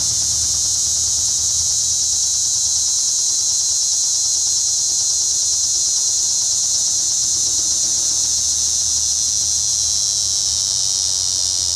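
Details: Linne's cicada in Cape May County, New Jersey, producing an unbroken, intense high buzzing whine that stays level throughout, with faint low background hum.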